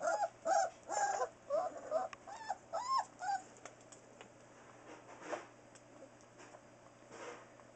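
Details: Newfoundland dog puppies four weeks old, born October 30, 2013: soft high whimpering yips repeated quickly in the first few seconds, then fading into faint murmurs over a steady low hum.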